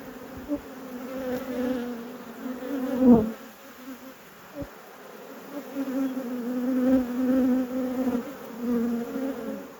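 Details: Honey bees buzzing during a beekeeper's inspection of hives in an apiary at peak production. A steady droning hum holds two low tones. Soft thumps and clicks from hive handling rise and fall around it.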